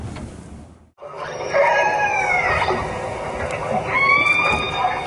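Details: Northern Resident orcas (I16 and A30 groups) off northeast Vancouver Island give squealing, harmonic calls that slide downward, then a second bright, wavering call, one type likened to a donkey, another to a cat meow.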